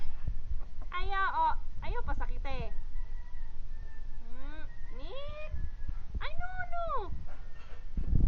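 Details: Mongrel cat Mic-mic in the Philippines, June 2012, played with by a child; a series of wavering, harmonic meows rising and falling across the clip, with people talking softly in the background.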